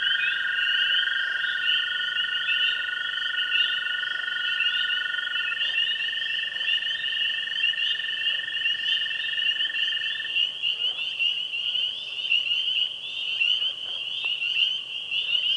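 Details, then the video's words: Tree frogs, spring peepers and green frogs calling at a pond one spring evening. High peeping choruses continuously while a long, steady lower trill rises a step partway through and then stops, leaving peeps and a few short clucks. "Springtime Frog Sounds"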